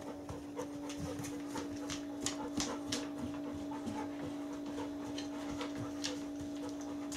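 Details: Indoors at home, four-year-old pet Bernese Mountain Dog Gin breathes in rapid, irregular puffs and snuffles around treat time, about three breaths a second, with a constant background hum throughout.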